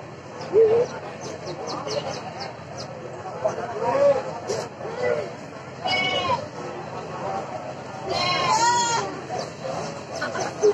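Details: Goats for sacrifice at the Cilongok goat market in Banyumas regency, among hundreds brought in from surrounding villages ahead of Eid al-Adha; two loud, wavering bleats stand out near six and eight seconds above steady human chatter and market bustle.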